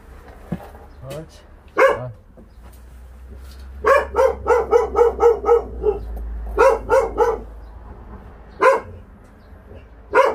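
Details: Stray dog on a volunteer transport from Ulsan's Naraeul Center barks in a rapid run of about eight even barks mid-clip, with scattered single barks before and after, over a low engine hum.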